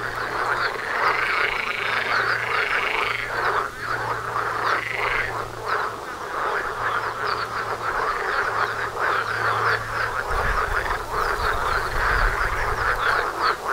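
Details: Frogs massed in a loud chorus outside a house door, continuous rattling and quacking croaks overlapping, a few drawn-out rising calls early on, and a brief low rumble around the eleventh second.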